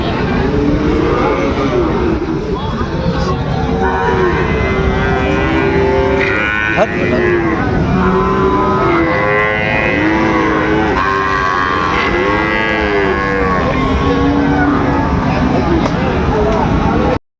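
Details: Sahiwal bull calves at Raniganj cattle market in Dinajpur, 8 August 2024, giving drawn-out, low, steady moos several times, set against a constant din of crowd voices, bargaining talk and passing vehicles.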